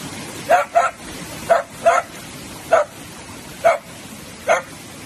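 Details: Sausage dog, a Dachshund at play, barks steadily: seven short, clipped yaps, some in quick pairs, spaced about every half to one second over a hissing background noise.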